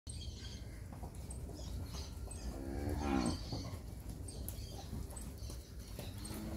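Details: Nelore and Nelore-cross heifer calves, a herd of 67 aged ten months and up, in the Fernandópolis region of São Paulo, Brazil. A single short, low moo rises near the middle over a steady rumble, with small birds chirping high in the background.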